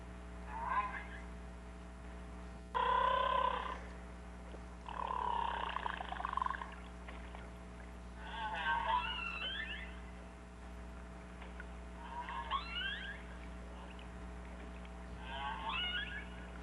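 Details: Narwhals in a summer super pod of hundreds pass the shoreline in the Canadian Arctic, talking to each other. They trade bursts of squeaky whistles and buzzy pulsed calls, each lasting a second or two.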